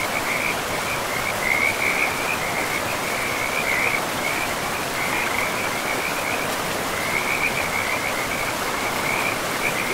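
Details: Frogs calling by a river in a forest, a steady band of bright trilled notes in bursts over a constant rushing of flowing water.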